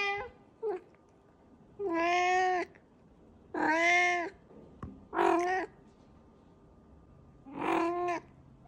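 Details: Talkative pet cat in a diaper giving a run of four clear, nasal meows plus a short chirp at the start. Each is held for under a second and separated by pauses of about one to two seconds.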